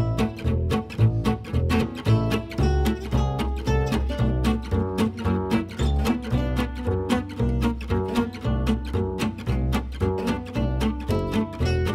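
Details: Steady instrumental music with a deep plucked and bowed string bass line and a regular beat, without any animal voice.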